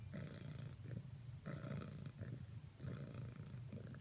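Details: A female house cat keeps trying to cuddle with a second cat, purring steadily; a deep rumbling purr swells in three rhythmic breath cycles, each louder burst lasting about a second.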